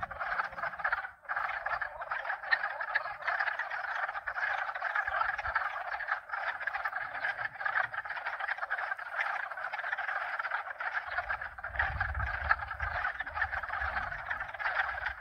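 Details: Steady, thick frog chorus, with at least two and perhaps as many as four species overlapping in rapid rattling and croaking pulses. Low rumbling from wind or pump noise builds toward the end.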